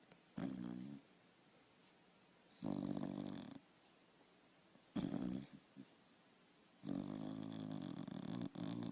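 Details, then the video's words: Dog snoring loudly while asleep, four rasping, buzzy snores of about a second each arriving every two seconds or so, with faint inhalation noise between them in a quiet room. "Собака спит и храпит"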